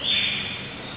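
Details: Eurasian otters (Lutra lutra), a pair at Asa Zoo, Japan, on 4 November 2013; one gives a single high, piercing whistle that starts loud, then holds steady and fades slightly over about a second.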